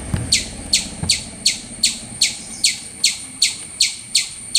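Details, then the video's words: Squirrel making noise: a rapid series of about twelve high, sharply falling chirps, evenly repeated roughly every third of a second, over a faint steady high hiss and a couple of low knocks. "Cute Squirrel Making Noise"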